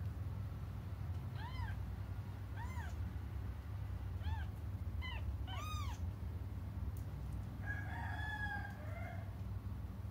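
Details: Cats left waiting for their mother let out a few faint, spaced, arched meows, partly buried under a heavy low rumbling hum, followed by a thinner, flatter wavering cry near the close.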